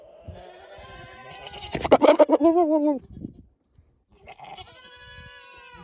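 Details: A male Nigerian Dwarf goat that escaped his pasture after scenting a doe in heat gives a wavering, pulsing bleat while flirting with the does through a fence, with music playing behind.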